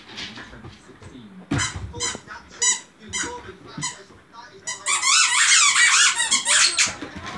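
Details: Samoyed kept as a pet, vocalizing indoors: a person talks at first, then the dog breaks into a loud, high, wavering squeal lasting a couple of seconds near the end.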